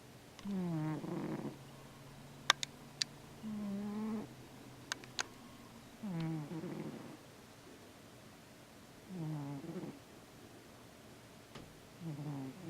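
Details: Indoors a Siamese cat snores in deep sleep, dreaming and twitching; loud rattling snores recur every two to three seconds, each a buzzy rasp with a gliding pitch, plus a few sharp clicks between breaths.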